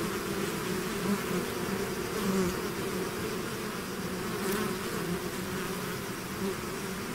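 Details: Bee swarm out of its hive, a steady dense buzzing drone with overlapping hums near a low pitch, many wingbeats blending into an even wash with brief louder passes of single bees.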